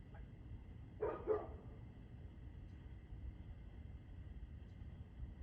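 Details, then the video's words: Evening barking from a dog, 6:02 pm on 2/6/2024: two short, harsh barks in quick succession near the start, then only a low droning background. "Barking Dog"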